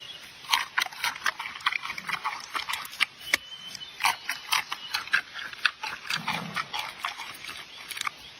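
A giant panda crunching bamboo: sharp, dry snaps and crackles in an irregular chewing rhythm.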